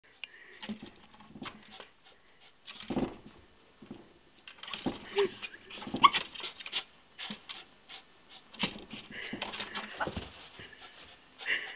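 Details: Nala, a pet dog, sniffing and whimpering eagerly while trying to get a gerbil; irregular bursts of snuffling breaths with occasional high whimpering squeaks and a human voice in between.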